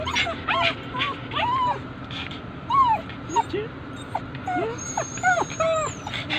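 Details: Abandoned-feeling poodles whine for their absent owner: a quick series of arched, tonal whimpers and sharp yips, some sliding upward, others dropping, with a person speaking over them.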